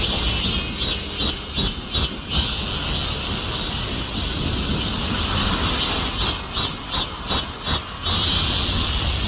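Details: Cicada buzz running as a constant high hiss, with clusters of quick pulsing throbs in the first few seconds and again near the end, over a low background rumble.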